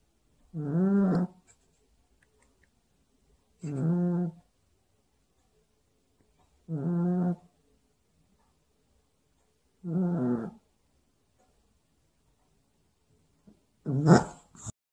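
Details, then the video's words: A sleeping puppy snores indoors, worn out from play: five rasping, harmonic snores, each under a second long, come about every three seconds in a slow, uneven rhythm. The last one is louder and noisier, with quiet room tone in between. "코고는 강아지"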